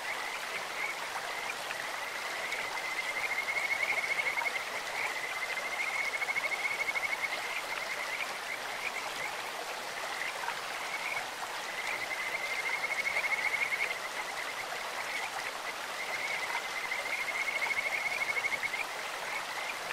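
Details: Kajika frog chorus by a clear stream: drawn-out, high, pure whistled trills repeated in three swelling bouts about every five seconds, with shorter chirps between, over a continuous hiss of running water.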